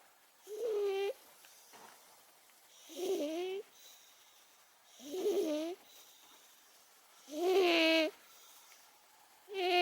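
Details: Momo, an 18-year-old pet cat, snoring in her sleep, loud enough to carry into the kitchen; nasal, voiced rasping breaths with a buzzy tone, one every two to three seconds, quiet gaps between.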